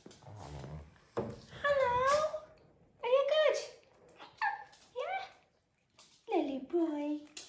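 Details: Japanese Chin dogs welcoming owners home in a small room: breathy, wavering whimpers and descending whines in short bursts over low human talk.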